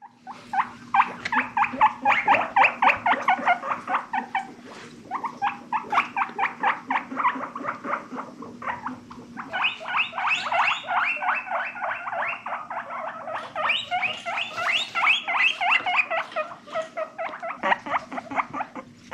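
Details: Pet guinea pigs exploring: long runs of rapid, evenly pulsed squeaky notes in bursts of several seconds, separated by short pauses. The pitch steps higher midway through.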